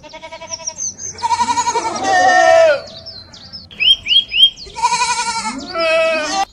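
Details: Grazing goats give two drawn-out, wavering bleats that rise and fall with a fast, shaky tremble through each call, while small birds add bright, quick chirps and short whistled notes between them.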